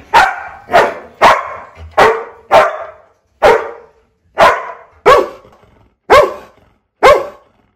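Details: Single dog giving loud, sharp barks from a fifteen-breed bark compilation, about ten barks spaced half a second to a second apart, each a bright burst fading quickly, with short quiet gaps.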